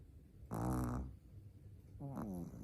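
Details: Four-month-old Shih Tzu puppy snoring in its sleep: a loud, harsh, rattling breath lasting half a second, a pause, then a shorter, softer snore.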